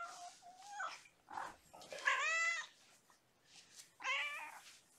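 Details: Young kittens from a litter of five born April 14, with mother cat Gamora, at bedtime during lap and play time indoors; thin, high kitten meows, several short bent calls with two louder arched, harmonic-rich meows in a quiet room.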